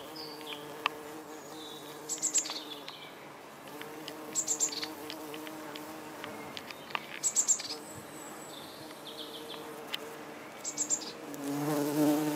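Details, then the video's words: Bombus lapidarius, the red-tailed bumblebee, flying among yellow Darwin's barberry blossoms to gather nectar; soft humming buzz comes and goes in short passes, with sharp high bird chirps and twittering scattered over the top. "Red tailed Bumblebee in flight"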